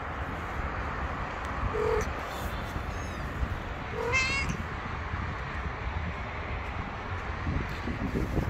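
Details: Homeless stray kittens sleeping under car tires on the street give a few short high meows, two clearer ones near the middle, over steady low traffic rumble and outdoor hum.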